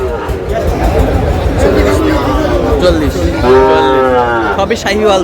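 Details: Sahiwal bull calf at a cattle market in Sylhet, Bangladesh, on 22 May: a drawn-out, low, harmonic moo of about a second and a half that swells near the end, over steady crowd chatter and nearby voices.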